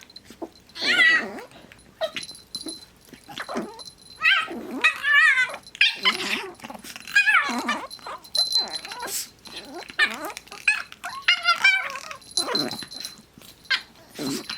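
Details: Two pet dogs playing together, one making its constant silly high-pitched noise; squeaky, wavering yips and whines in short irregular bursts, with scuffling between them.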